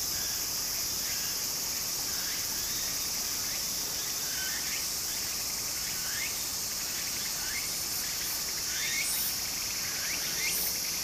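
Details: Summer cicada chorus by a flowing stream in Japan: a continuous shrill hiss with sweeping upward strokes recurring irregularly, about forty a minute, a few sharper accents near the end.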